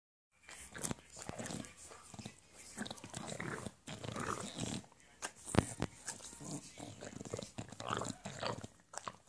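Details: An English Bulldog, enthusiastic while licking his paws, makes wet, snorting slurps and smacking licks while a person talks nearby.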